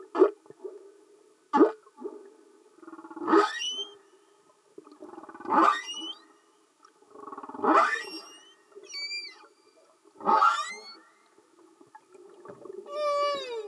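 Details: Singing humpback whales recorded underwater, giving a series of short, rough, broadband grunts and knocks roughly every two seconds, with a few quick upswept squeaks and a rising harmonic whistle near the end.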